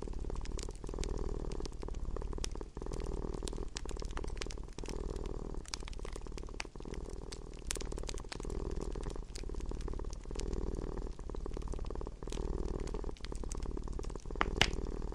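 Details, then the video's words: Indoor domestic cat purring beside a crackling fireplace; the deep rumble rises and falls in regular breathing cycles while scattered wood pops and crackles punctuate the background. "Relaxing with Purring Cat"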